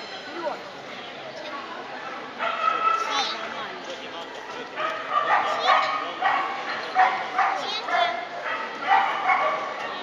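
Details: Siberian Huskies at the Arsania summer 2014 dog show, open class, giving repeated short barks and yips that come in bursts through the second half, over a busy hall with people talking and a handler urging the dogs on.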